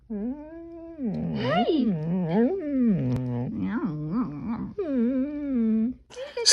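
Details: Rescue dog singing indoors, with low, wavering howls and woofs that bend up and down in pitch, broken into short rising and falling phrases, with a brief higher yelp at the end.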